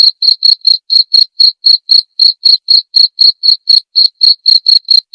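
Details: Cricket sound used to tutor white-rumped shamas in song learning: a steady, clean chain of sharp chirps, roughly four each second, each pulse bright and high-pitched with an overtone above, no other sounds.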